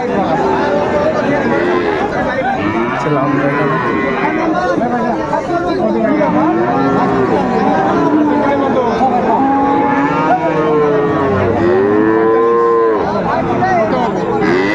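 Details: At Raniganj cattle market in Dinajpur on 2 May, Friesian and cross-breed bull calves moo in overlapping bursts amid constant talk and crowd chatter, with the clearest, loudest arched moos near the end.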